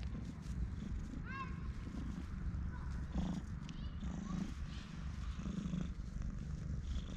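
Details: Stray cat seeking affection and rubbing against a person's legs, filmed on a GoPro HERO8: a low, steady rumbling purr throughout, with a short bird chirp near the start and faint outdoor background.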